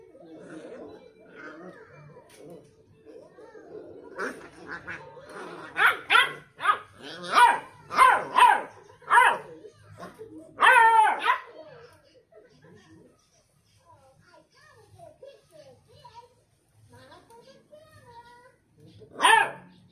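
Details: Several Beagle puppies bark in short, sharp bursts, trading yips back and forth in a long, conversation-like exchange.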